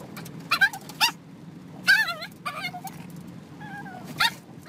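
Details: Pet dog in a home setting, giving short high yips and wavering whimpers, several spaced harmonic cries over about four seconds, with low background hum and faint household noise.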